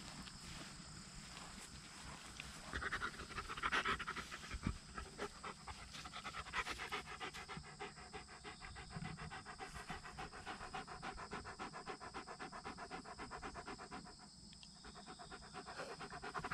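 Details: Pomeranian named Meimei, retrieving her treasured skull toy from a shallow pool with only a little water and refusing to give up until she gets it herself; quick rhythmic panting, roughly 220 breaths a minute, steady throughout.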